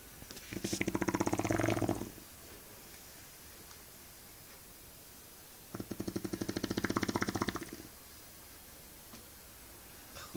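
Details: Eva, a Shar Pei, snores in two drawn-out, pulsing rasps about five seconds apart, each lasting around one and a half seconds, with soft breathing between.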